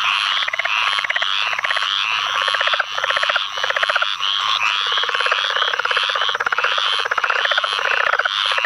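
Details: Chorus in a flooded field, Onslow County, North Carolina, 11 May 2015: a southern leopard frog's low, rattling pulse series recurs steadily, overlapping other leopard frogs and the busy high rasps of squirrel treefrogs and pine woods treefrogs.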